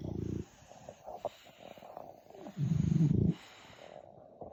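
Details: French Bulldog asleep and snoring; a short low snore opens, then quiet breathing, then a longer, loud, buzzing low snore of under a second.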